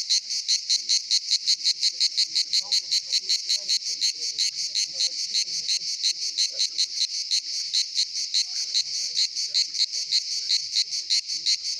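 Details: A cicada sings in summer at the Pitsunda resort, Abkhazia, a loud, high, buzzing drone pulsed several times a second, with faint voices underneath.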